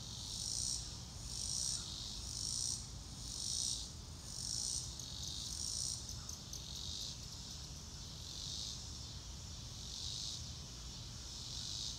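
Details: Cricket chirping in a blue-sky nature scene: crisp regular high bursts for the first half, then blurring into a softer, more continuous shimmer, over low background rumble.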